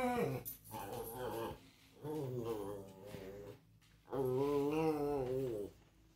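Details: Chuck, a Pomeranian, growls at a squirrel in a repeat face-off: three drawn-out, harmonic growling whines, the last longest and wavering, separated by short quiet pauses.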